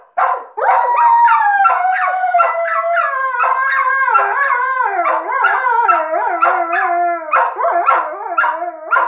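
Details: Alaskan Malamute leading a howl with the household's second dog, which it trained to howl. Continuous layered howling lasts nine seconds, with pitch wobbling and gradually dropping, and short sharp yips cutting through.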